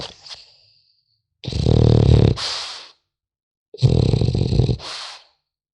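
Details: Sleeping French Bulldog puppy giving two long, rough, throaty snores about a second and a half each, separated by a short pause, each ending in a breathy hiss. Indoors, no other sounds.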